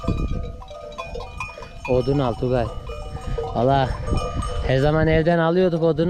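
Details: Akkaraman sheep lambs separated from their ewes call repeatedly: tremulous bleats start after a quiet opening and grow into long, wavering cries, over a constant background of ringing livestock bells.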